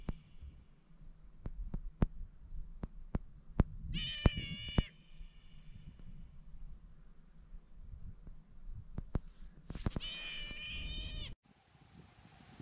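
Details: At Little Waterfall Bay on Afognak, Alaska, a sea otter of a pair circles an anchored boat, baring its teeth. It gives two shrill, cry-like harmonic screams about six seconds apart, with sharp clicks and knocks around them.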